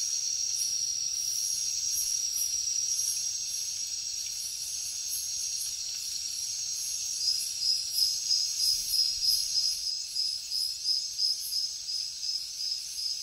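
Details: Crickets chirping at night in the jungle: a steady, very high ringing trill runs throughout, with shimmering pulsed chirps above it that grow louder and more regular in the second half, about three pulses a second.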